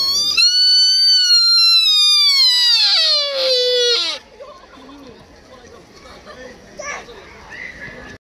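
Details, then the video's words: A sika deer in Nara, Japan gives one long, shrill whistle that slides downward and ends in a lower moan. "Best Sika Deer Call!"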